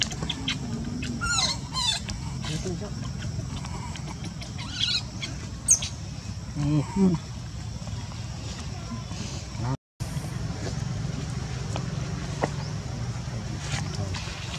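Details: Rejected by mother Luna, newborn monkey Luno utters several brief, high, warbling cries scattered through the first six seconds against a constant low background hum, with a short dropout near ten seconds.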